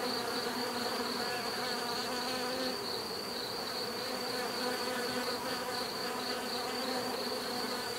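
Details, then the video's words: Continuous buzzing of many bees, a thick layered hum that holds steady throughout, with a constant high-pitched whine running above it and no other clear sounds. "bees therapy relaxing natural buzzing sound"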